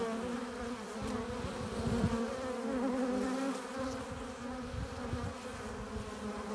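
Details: Busy hive entrance with honey bees returning carrying pollen and nectar; a constant layered buzz of many wings, low humming tones wavering in pitch, swelling and fading as bees pass near, with soft thumping bursts underneath.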